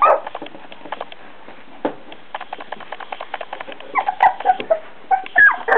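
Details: Busy clicking and scratching from four-week-old Beagle puppies gives way to a run of short high squeals and whines near the end, overlapping one another.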